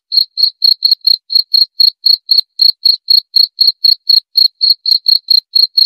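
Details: Steady cricket chirping throughout: short, bright pulses at a single high pitch, about four each second, evenly spaced with slight variation, faint upper overtone above. No other animals or noise.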